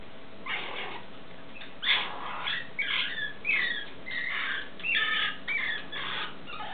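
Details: Stone marten pup at feeding time giving a run of harsh, squeaky, buzzy calls, roughly two per second, some rising into thin squeals, over a steady low hiss.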